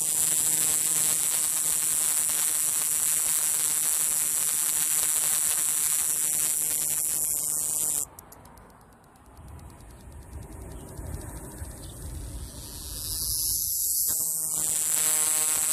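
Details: Male scrub cicada singing intensely in southern New Mexico, recorded on a phone whose mic was overloaded; a steady, piercing high buzz holds for eight seconds, drops away, then returns loud near the end.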